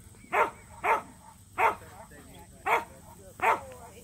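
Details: Two Samoyeds, Mozart and Zuko, entered in a local match show for the first time. Five loud, clipped barks in about four seconds at an uneven pace, with a faint background hum.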